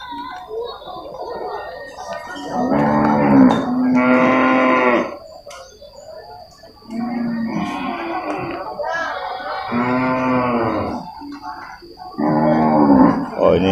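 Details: Deep, drawn-out moos from water buffalo at a Purwakarta livestock market in Indonesia, with about five loud, rich calls of one to two seconds each separated by short pauses, over a faint steady background hum.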